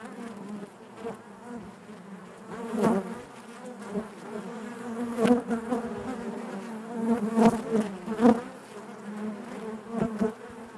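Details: Inside a honey bee hive, many bees produce a constant droning hum, punctuated by sharp louder buzzes from single bees flying near, the overall level rising and falling irregularly.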